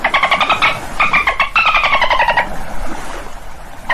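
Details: Dolphin chatter: quick trains of pulsed, squeaky, buzzy calls in several runs, some bending downward in pitch, then fading into low rumbling noise with a single short squeak at the end.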